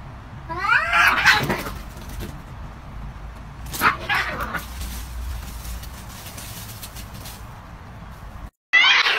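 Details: Cats in a fight give loud wavering yowls, two drawn-out bursts a few seconds apart with a harsh screech cutting in at the end, over a low hum.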